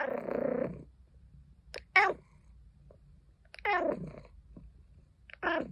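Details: Caesar von Schwanheim, a pet cat, complaining: a low murmuring call opening the sequence, followed by three brief falling chirp-like meows spaced about every two seconds in a quiet room.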